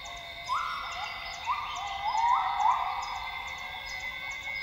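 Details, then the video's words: Gibbons singing at dawn in Tawau Hills Park, Sabah, Borneo: northern grey gibbon notes slide upward and hold, several stepped whoops following one another, with a high steady buzz of rainforest insects throughout. "Northern Grey Gibbon sounds - Gibbons singing at dawn in Borneo's rainforest."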